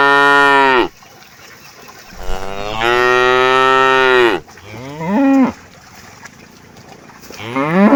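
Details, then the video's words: Thirsty cows in a herd during hot weather mooing repeatedly: a falling low moo, a long two-second bellow, a short rising call, then another moo beginning, separated by quiet pauses. "Kawanan Sapi Kehausan Saat Cuaca Panas, Funny Cow, Sound Cow"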